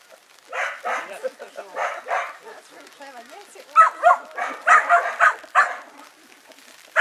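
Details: A five-month-old Kelpie pup, a working-bred dog meeting sheep for the first time, lets out short rough barks at an uneven pace, with a louder, tighter run of yaps in the second half.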